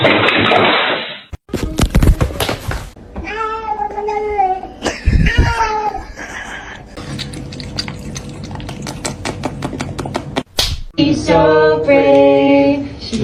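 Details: Domestic cats indoors making repeated drawn-out meows with clear harmonic bands, some rising then falling, mixed with music, laughter and voices calling the cat over.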